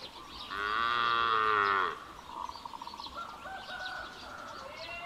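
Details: Calf calling for its mother: a loud, drawn-out moo rich in harmonics lasting about one and a half seconds, then quieter broken, wavering calls and faint higher chirps over steady background hiss.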